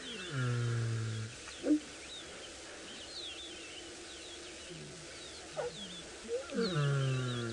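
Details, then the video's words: Lions of a pride waking at dawn in the Maasai Mara, heard live from a safari vehicle: deep falling moaning roars with harmonics at the start and end, separated by a quieter stretch with birds calling and a few sharp knocks. "cats are just starting to wake up their calls have been pelting across the African plains and it sounds like they're about to start roaring again have a little listen to this"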